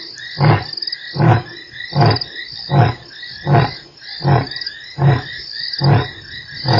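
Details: Lion at Nkorho on 3 March, one of eight roars in an hour: a steady series of deep, short grunting pulses about every three-quarters of a second, over constant insect and frog trilling.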